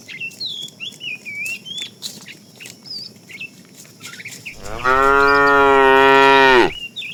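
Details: Fat cow among a tame herd herded in the afternoon, calling the female with a long steady moo of about two seconds, rich in stacked harmonics, after a stretch of busy bird chirps and whistles.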